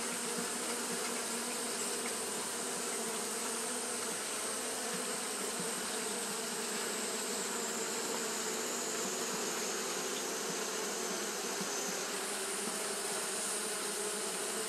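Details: On a hot day, Japanese honey bees keep up their fanning behaviour: a constant droning hum layered with bright, rushing hiss, steady in loudness, a thin high tone fading in and out near the top.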